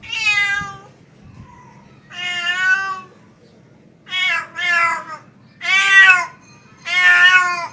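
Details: A tomcat's mating call to a female, given as a series of loud, strained meows, some doubled, roughly one every one to one and a half seconds over steady low room noise.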